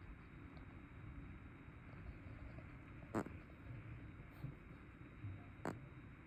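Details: A chubby brown tabby cat snores loudly. The snore comes as low, rumbling breaths repeated about every second, with two sharp clicks over a steady low hum.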